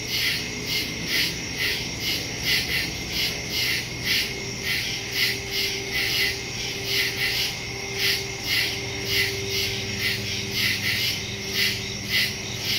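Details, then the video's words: Crickets chirping in nighttime woods, recorded on September 2, 2023 using a Samsung Galaxy S22 Ultra and stereo microphone; rhythmic high-pitched pulses repeating in even bursts, with faint low tonal hum in the background. "Crickets in the woods at night"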